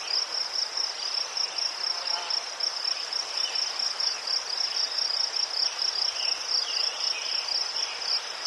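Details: Crickets in Ukraine among chrysanthemums, a soothing outdoor chorus: a steady band of rapid, high pulsed chirps running without pause, with faint fainter chirping and soft hiss beneath.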